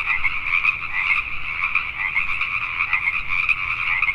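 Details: Pacific tree frogs at night in Richmond, British Columbia, Canada: a thick, steady chorus of rapid, raspy croaks, some individual calls standing out briefly above the mass.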